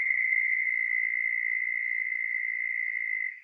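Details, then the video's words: Southern toad, found mostly in North Carolina's coastal plain, gives a steady, very high-pitched trill on one even note without a break; the call is long, up to 30 seconds, and about an octave above the similar American toad's trill. "Now, southern toads have a real high-pitched trill. Let's listen to that."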